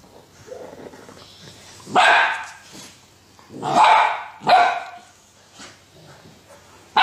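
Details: Golden Retriever giving loud, broad barks: one about two seconds in, a close pair near the four-second mark, and a final bark cut off at the end, with a quiet background between them.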